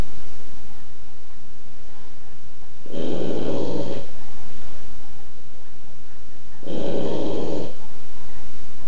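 A Boston Terrier snores in slow, rasping pulses, each about a second long and a few seconds apart.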